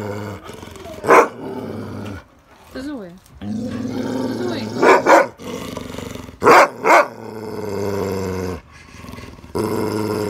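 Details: Akita Inu, said to speak the word "mama", gives three short, loud, moaning vocal bursts near the second, fifth and seventh seconds, over a steady low hum, while a woman talks softly to the dog in Russian.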